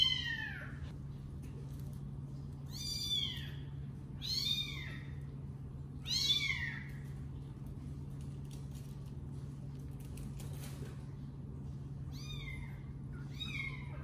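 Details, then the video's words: Domestic cat pair, the male scolding the female: a run of short arched meows, about six in the first seven seconds, a quiet gap, then two fainter meows at the end, with a steady background hum. "Dad cat decided to scold mom cat"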